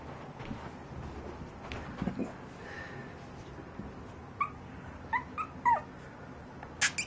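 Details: Eight-week-old Shih Poo puppies playing indoors in cold weather: faint rustling at first, then a run of short high yips and squeaks in the last three seconds.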